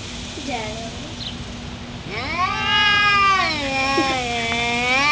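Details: Two pet cats in a fight, one black: after faint short mews, a single sustained, richly harmonic yowl swells and wavers for about three seconds.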